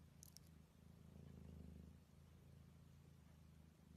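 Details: Close purring from a cat, a low vibrating rumble that swells and fades again over a few seconds, with a brief clicking at the start.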